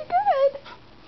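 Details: A Corgi, prompted to learn to whine on cue, gives a brief, high whine that rises and then slides down in pitch.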